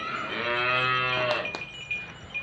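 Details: Jersey Friesian cow kept by a cattle dealer in Pakpattan, Pakistan, lowing in one long, deep, even moo of over a second. Sharp clinks and a thin steady tone follow afterwards.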